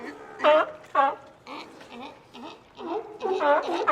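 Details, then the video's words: Sea lion giving hoarse, harmonic barks, loud bursts at about half-second and one-second marks, then softer wavering calls, ending with a cluster of overlapping barks; seven or so calls in four seconds at an uneven rhythm. "SEA LION SOUND EFFECT"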